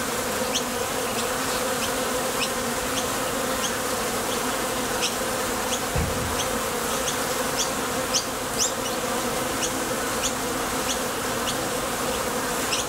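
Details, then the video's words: Many honey bees flying in and out of a Top Bar Hive entrance while foraging for nectar make an even, thick buzz. Light high clicks are sprinkled through it, and a brief low thump comes near the middle. "Bees Sound Effects | WHITE NOISE | RUIDO BLANCO RELAJANTE Sonido de las Abejas"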